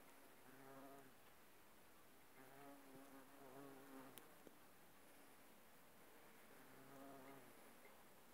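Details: Several bumblebees visiting aconite blooms give a deep, humming buzz in short bursts of about a second each, fading and returning four times against a quiet background.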